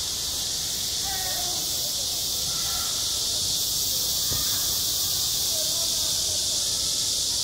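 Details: Cicadas singing in summer at a school playground: a continuous high, hissing buzz, faint children's chatter, and a single sharp knock partway through.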